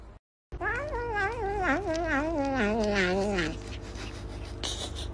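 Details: House cat from a cute cat compilation letting out a long, wavering, quavering meow of about three seconds, pitch wobbling up and down before sliding lower at the end, with soft background hum.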